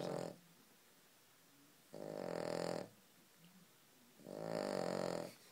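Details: A dog snoring very loudly, long buzzy rasping breaths roughly every two and a half seconds, separated by quiet pauses with faint soft snorts.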